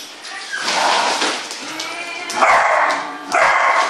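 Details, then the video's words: Beagle at play, giving bursts of bright, strained howling barks with clear harmonic bands, louder outbursts near the end, over a steady background. "Beagle play"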